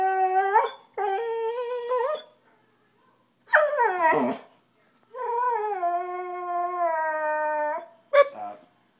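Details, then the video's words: A dog, thinking he is being scolded, howls and cries in several long, level wails separated by short silences, one sliding sharply downward, with a brief yelp near the end. "Cute dog makes funny noise"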